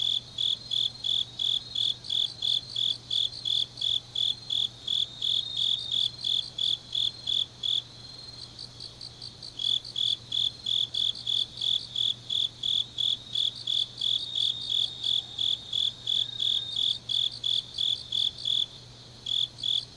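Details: Grass insects sing late at night in autumn in Changnyeong, South Gyeongsang, South Korea, a steady, high, pulsing trill with chirps repeating rapidly throughout.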